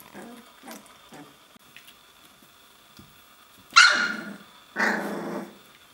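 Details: Puppies on their 21st day practising play, growling and barking; faint scuffles and soft whines first, then two loud, harsh, raspy bark-growls about a second apart near the end.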